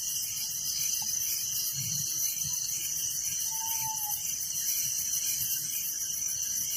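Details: A nighttime chorus of crickets in a village forms a constant high, buzzy pulsing trill. One brief level whistle rises faintly above it around the middle.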